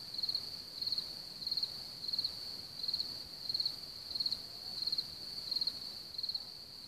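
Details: Crickets around Hamr near Chlum u Třeboně, Czechia, home to one of Bohemia's largest cricket populations, sing high, pulsed chirps about every two-thirds of a second over a steady background trill.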